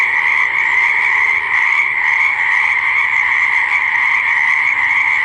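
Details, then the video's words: Croaking frogs at a pond or swamp: an unbroken, high-pitched chorus of countless overlapping calls producing an even, pulsing drone. "Frog Sound Effects - Croaking Frog Sounds and Noises, Animal Sounds by the Pond/Swamp!"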